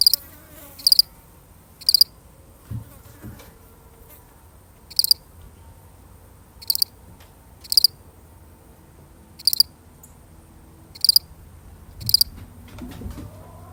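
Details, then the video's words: A lone cricket, genuinely recorded, chirps about ten times at irregular intervals, each chirp a crisp high trill of two or three pulses, with a few faint low thumps in the background. "The sound of one lonely cricket"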